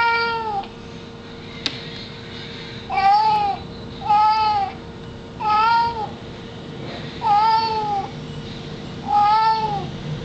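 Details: Pet dog making meow-like calls indoors: six drawn-out, arched, whining mews that rise and then fall, repeated about every one and a half to two seconds, with a faint steady hum in the background.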